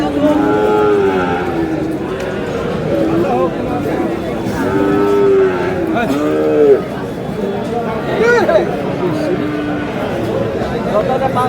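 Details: Sahiwal cattle at a livestock market in Chuadanga, Bangladesh: several drawn-out moos with wavering harmonic bands, rising and falling, over constant crowd chatter and people bargaining over prices in Bengali.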